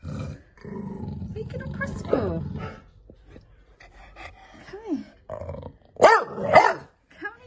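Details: A cross-sounding pet bulldog named Rosco, interfering with the laundry, gives a deep, throaty growl for almost three seconds, then rising and falling whiny yelps; a person talks in between.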